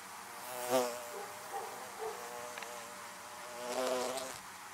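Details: Bees humming around beehives: a continuous low drone, a sharp close fly-by just under one second, softer passes after it, and a long louder swell near four seconds before the hum settles.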